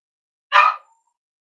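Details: Single sharp, loud bark from a Cavalier King Charles Spaniel indoors on a warm Friday morning, at a home raising emotional support dogs, ending with a short fading tail and the onset of another.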